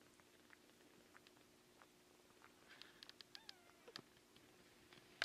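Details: Newborn kittens, eight days old and just opening their eyes, indoors; a thin, high mew curving upward then falling near the end, amid soft scattered clicks and rustling over a steady low hum.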